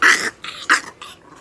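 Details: Chihuahua, two years eight months old, at a veterinary clinic in Nagoya during examination and treatment, with cyanosis and an elongated soft palate; four short, harsh, broadband yelping bursts in about a second and a half, indoors.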